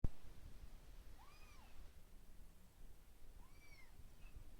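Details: Indoor kitten, filmed while it lashed out at the person recording, gives two soft, arched meows about two seconds apart, each rising then falling, over a quiet low room hum.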